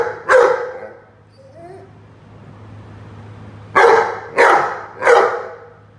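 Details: Rhodesian Ridgeback playing with a watering can: a single sharp bark, a pause with faint low noises, then three quick barks in a row, each loud and harsh over a faint hum.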